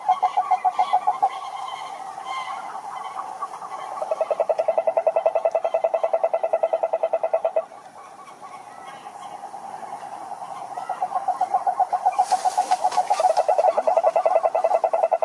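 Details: Many frogs singing in a pond, bursts of rapid regular pulsed croaking that pause and resume, a quieter stretch mid-way before the chorus swells again, with a short noisy burst.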